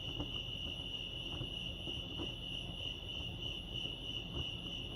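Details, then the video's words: Lake Arrowhead crickets in California keep up a fast, even, high-pitched pulsing chirp, with a few soft low knocks and thumps underneath. "Serenity sounds crickets chirping lake arrowhead"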